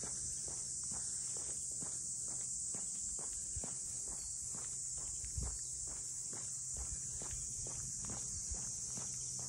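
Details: Cicadas chorusing around the Ine no Funaya port houses, north of Kyoto: a steady, high, hissing drone runs unbroken through the whole stretch, while footsteps on pavement tap past roughly twice a second.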